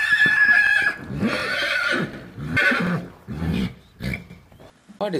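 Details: A horse's shrill, quavering whinny fills the first second. A child's voice and an adult's voice follow, naming animals during playback.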